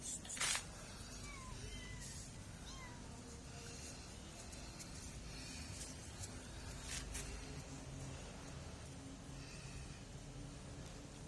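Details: Kittens giving a few thin, rising-then-falling mews early on, spaced about a second apart, then quiet except for a sharp knock at the start, scattered clicks and steady low background hum.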